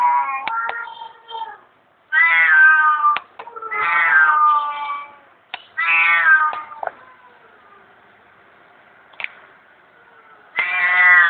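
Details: Domestic cat begging for food out of hunger, repeating strong, clear meows about every two seconds, each bending down in pitch, with a pause before a final meow and a few soft clicks.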